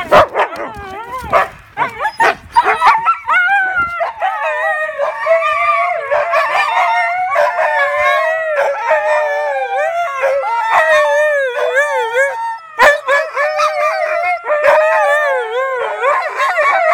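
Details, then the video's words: Three huskies answer a question about going for a walk with a sustained chorus of wavering, overlapping howls and woo-woo vocalisations, clicks and bursts early on, the voices rising and falling together for the whole stretch. "Husky Wants to Go on a Walk?"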